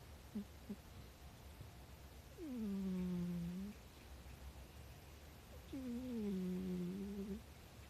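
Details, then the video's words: Rescued house cat snoring quietly; two humming, slightly falling tones, each over a second long, about three seconds apart, preceded by a couple of faint short sounds. "猫のいびき (聴こえにくいです)"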